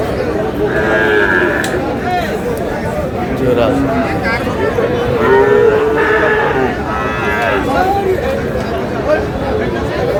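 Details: Sahiwal bull calves at a cattle market in Mymensingh, Bangladesh, on 18 March, with lowing moos rising and falling, some drawn out, over constant crowd chatter and bargaining voices.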